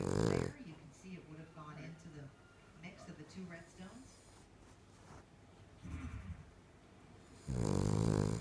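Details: A female King Charles Spaniel snores with loud, rasping, buzzy breaths, louder than any person her owner has met, while people talk quietly in between.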